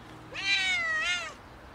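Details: A hungry cat asking for food gives one long, loud meow lasting about a second, with a bright rich tone that holds steady then swells again before dropping off at the end.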